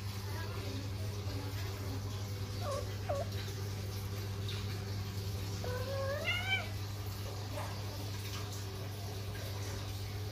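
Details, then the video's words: Pet Persian Flatnose cat in heat during mating, giving two short wavering meows with rich harmonics, one brief and one longer rising-then-falling yowl, over a steady low electrical hum. "Kucing lucu birahi | Kucing Persia Flatnose"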